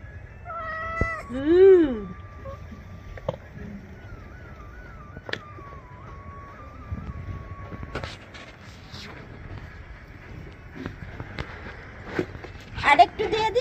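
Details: Pet cat held while being treated with lice powder; one loud, drawn-out, wavering meow rises and falls near the start. Quieter rustling and handling sounds follow, with a steady thin tone in the background and people talking nearby.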